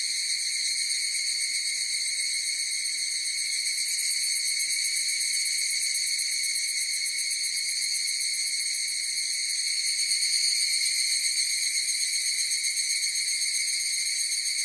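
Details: Chorus of higurashi cicadas: a steady, ringing, metallic tone with bright overtones, gently pulsing about four times a second and swelling slightly near the end, with no other sounds.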